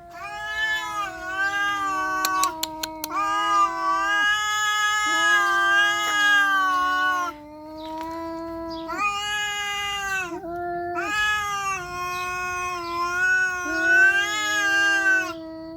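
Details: Tricolour cats in a fight, a mother cat with young kittens against another cat: long drawn-out harmonic yowls with wavering pitch, rising and falling in sustained bouts separated by short pauses, loud and continuous.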